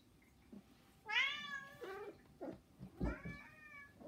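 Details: Pet domestic cat indoors, one of three housecats begging noisily for attention: two clear meows, the first a long bright harmonic-rich wail, the second a softer falling mew, with faint household shuffling between.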